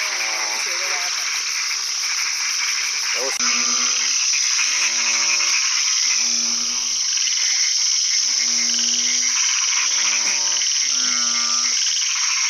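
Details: A black-webbed tree frog (Rhacophorus kio) in Chiang Mai gives short, nasal, rattling croaks, repeated about every second and a half.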